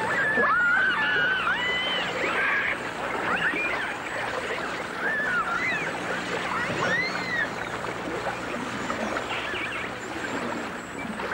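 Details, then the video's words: Dolphins and orcas in a 1989 full dimensional stereo recording: many short looping whistles rise and fall over one another above a constant crackle of clicks, with a steady underwater hiss throughout. "The Enchanting Sounds Of Dolphin Song (Dolphins & Orcas)"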